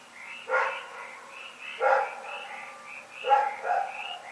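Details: A dog named Rex barks at night, recorded February 27, 2018. Three loud barks, the last one doubled, stand out over a continuous rhythmic chirping chorus in the background.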